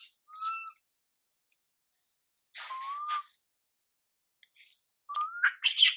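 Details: Young monkey MILA crying while ignored by her mother MILIKA: three separate clear whistled cries, each a short, slightly rising tone, with long silent gaps between them and a final cry that breaks into a harsh squeal.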